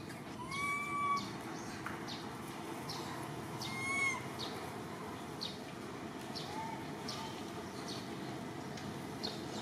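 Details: Little orphan monkey Martin sobbing and crying to call Malida: two clear whistled, slightly arched cries with a faint upper overtone, at the start and around four seconds, then softer whimpers amid steady clicking and rustling.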